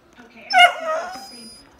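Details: Young male whippet protesting that he has no toy: one high, wavering whimper that rises sharply then trails off, with a woman speaking to him afterward.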